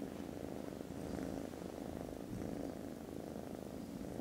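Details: Snoozing foster kittens, content after lunch on 18th December, purr loudly. A thick, unbroken low rumble swells gently with each breath, with nothing else intruding.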